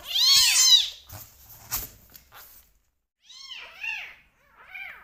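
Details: Rescue kitten, one of two left, meowing loudly during bottle feeding: a loud, high, arching meow, then soft clicks and handling noises, followed by three shorter, quieter rising-falling meows.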